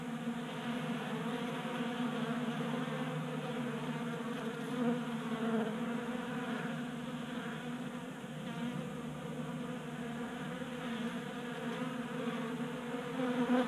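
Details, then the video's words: Honey bees feeding at a 3D printed tabletop feeder in a garage in Colorado, active during warm January weather; a dense, steady droning hum of many bees with layered harmonic bands and gentle swells in loudness. "45 Minutes of Honey Bees Feasting from 3D Printed Bee Feeder"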